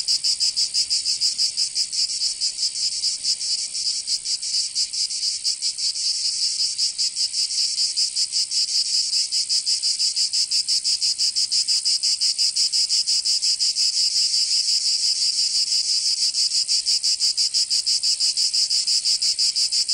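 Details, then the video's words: Cicadas singing in summer in Provence, southern France: a dense, high, rasping buzz pulsing about three times a second, steady and unbroken throughout, with no other sounds. "Canto Cigarra"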